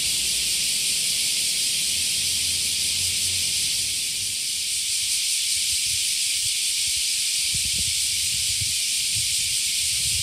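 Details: Summer cicadas in Japan heard at waking time, many insects together making an unbroken, shrill, hissing drone that holds a steady level, with occasional soft low thumps underneath.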